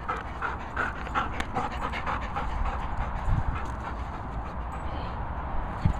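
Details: Labrador Retriever panting at a dog training and boarding kennels set in Worcestershire countryside: rapid, rhythmic, airy huffs repeating roughly every half second, with faint low rumbling in the background.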